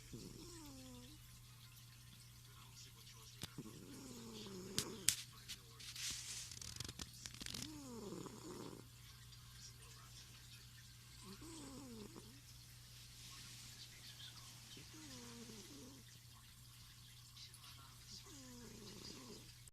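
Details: Male house cat fast asleep at night on a futon, snoring with a rumbling 'goo goo' in soft breathy bursts about every three seconds, over a steady hum from a goldfish tank filter's flowing water and a television in the background.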